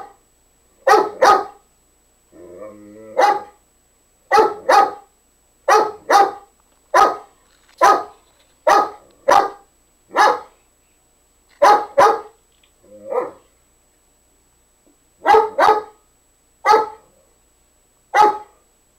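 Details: Playful barking from Nikki, a dog urging Nubbs to play although he won't; a long steady run of sharp barks, often doubled, about one every second, with a brief low whine near the start.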